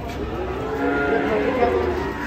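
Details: A brief, level moo from cattle rampaging off a truck and scaring visitors, heard close and clear above a low background of crowd noise.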